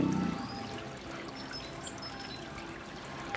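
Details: Soft background music with pouring, trickling water and faint tones, ending in a sudden bump; no animal voice.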